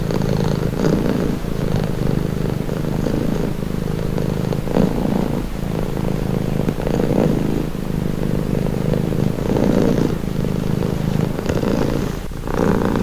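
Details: Long, unbroken purring from a domestic cat, a soft low rumble with slow rhythmic swells every second or two and a faint roughness between breaths.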